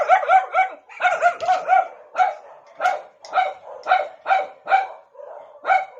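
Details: Pet dog trying to get another dog's attention, giving a rapid run of short, high, yelping barks, roughly two per second. They come in bursts with brief pauses and vary a little in spacing.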